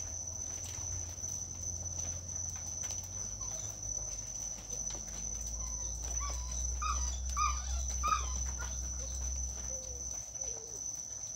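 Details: Neighbour's dogs in Omao, a constant nuisance, give a quick run of distant yelping barks in the middle of the recording over a steady high insect whine and a low rural hum.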